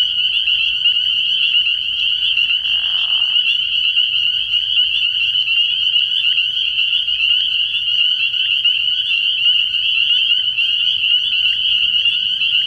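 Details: A nighttime early-season chorus of spring peepers at a pond. Dense, overlapping high-pitched peeps form a continuous ringing drone, with a short lower burst of sound around the third second.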